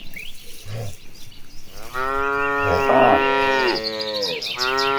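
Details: Tame cattle, a herd of cows marching toward the pasture, lowing: a loud drawn-out moo from about two seconds to nearly four, with a rich harmonic stack and slight fall, then another moo begins; soft rustling and thuds before.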